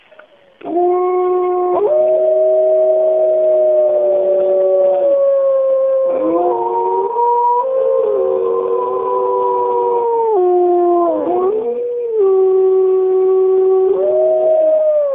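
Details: Morning chorus of the Bays Mountain wolf pack, 2010: several wolves howl together in long, steady, overlapping tones at different pitches, gliding up or down between held notes, with almost no pause.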